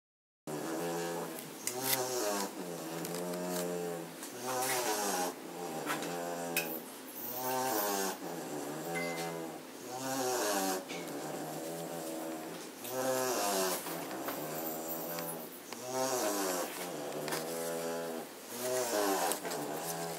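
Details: German Shorthaired Pointer puppies from Katelands, including one named Blake, asleep indoors on 27 September 2016 after half an hour of chasing each other. Rhythmic, droning snores with a whistly, tonal edge repeat about every three seconds, separated by quiet breaths.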